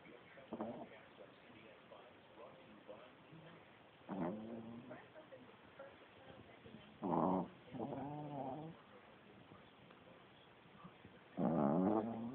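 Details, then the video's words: A sleeping female Chihuahua snores loudly indoors, with a cat nearby; rough nasal snores come in irregular bursts every few seconds, the loudest near seven and eleven seconds, separated by quiet breathing. "Chihuahua snoring loudly!"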